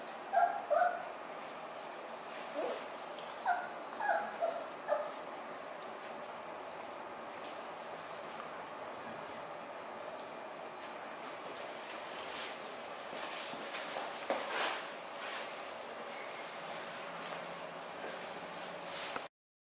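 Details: Eight Basset Hound puppies born on 25 December give thin, high whimpers and short yips clustered in the first five seconds. Afterward only a steady low hiss remains, with a few faint scattered squeaks.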